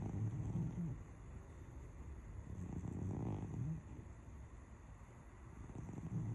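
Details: A pet cat snores as it dreams after lunch: low, rough, rasping breaths that swell roughly every three seconds over a steady low indoor hum.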